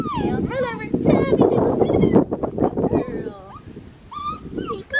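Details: Female black tri Australian Shepherd puppy whining in rising-and-falling, harmonic-rich cries, several in a row at the start, then scattered single whines as low murmuring voices and rustling carry underneath.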